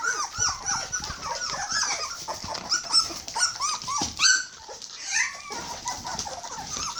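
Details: Hungry 21-day-old Border Collie puppies crying together: a dense stream of thin, high whimpers and squeaks, each bending up then down, almost without pause, with faint knocking beneath.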